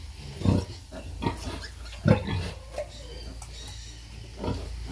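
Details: Sow breastfeeding piglets: throaty low grunts in quick, uneven succession, a few louder ones standing out, with faint higher squeaky noises in the background.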